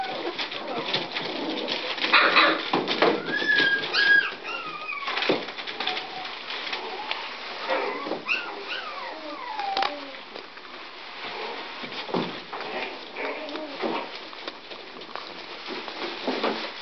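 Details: Scottish Terrier puppies, recorded on 26 May 2009, giving high thin whimpers and squeaky whines, some rising then falling, scattered across the clip with short gaps, over steady background hiss and light scuffling.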